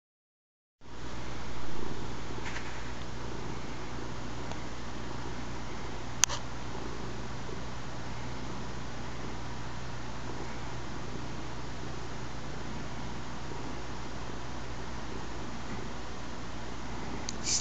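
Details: Stewie, a pet cat, purring while kneading indoors with odd paw movements. A low, steady, continuous rumbling purr runs unbroken for the whole stretch, with a faint click near the middle.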